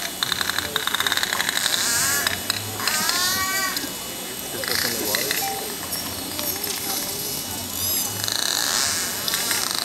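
Pacific white-sided dolphins send out rapid trains of sharp echolocation clicks, with a few swooping whistles between them.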